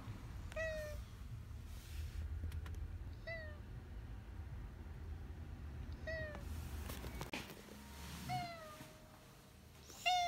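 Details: Rescued cat Maro-shiro, diagnosed with kidney failure and living four years with the illness, meows indoors: about five short, clear, harmonic meows, each dipping then rising, spaced roughly every two seconds over a low steady hum.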